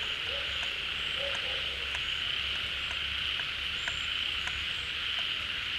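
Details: Frogs massed at a pond as water rises with the rains, calling all together: unbroken high-pitched droning chorus, with two short low croaks early on and scattered faint clicks.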